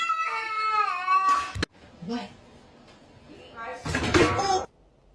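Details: Domestic cat giving a drawn-out, wavering meow of just over a second, followed by human speech, a sharp knock and a burst of noisy chatter indoors.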